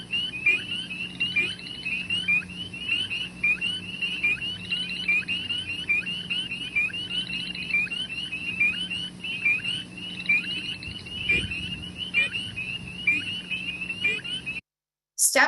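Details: A chorus of spring peepers in Massachusetts in spring gives high, clear, rising peeps, repeated rapidly and overlapping; this peep can be given hundreds of thousands of times a night.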